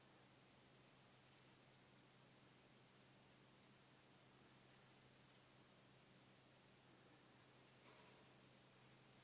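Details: Marsh cricket (Pteronemobius heydenii) singing in Puntigam, Austria, on 4 June 2022: three high, buzzing trills, each about 1.3 seconds long, separated by roughly three seconds of silence. The background is clean.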